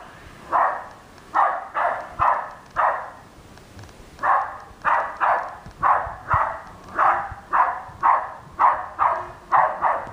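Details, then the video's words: West Highland White Terrier barking at R2 robot, a long volley of about sixteen sharp barks with a short pause early on, then rapid, rhythmic barking roughly twice per second. "Westie barking at R2"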